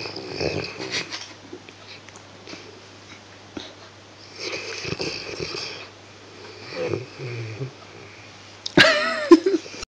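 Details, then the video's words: Harley, a Dogue de Bordeaux (French Mastiff), snoring while asleep on a couch indoors: soft breathy snores at irregular intervals a few seconds apart, with a louder sharp noise near the end. "Dogue Du Bordeaux snoring"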